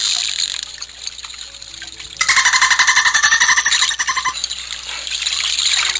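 Soft watery hiss opens the recording, then a dolphin breaks in with fast, rattling pulsed squeaks. The bursts come in quick rhythmic runs, buzzy and chattering, before easing back into the background wash.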